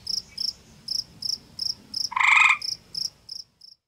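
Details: Territorial gray tree frog beside a woodland pond in Ontario issuing a single bright, buzzy trill of about half a second to a rival male, set against evenly spaced high chirps.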